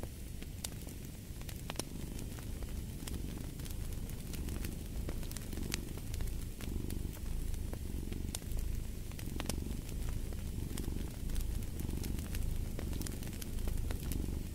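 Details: Low, continuous cat purr pulsing in slow breath cycles, partly blended with a dense layer of fireplace crackling and snapping wood.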